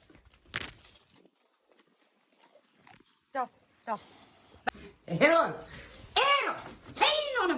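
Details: Eros the dog gives a few arching, rising-then-falling whining vocalizations, each about half a second long, in the last few seconds. Scattered thumps and soft sounds come earlier.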